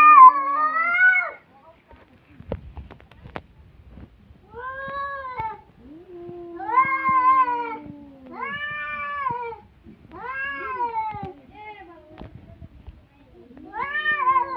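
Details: Cats in a fight trading drawn-out, wavering yowls, each rising then sagging, several bursts one to two seconds long separated by short pauses, with a lower moaning growl sliding underneath in the middle.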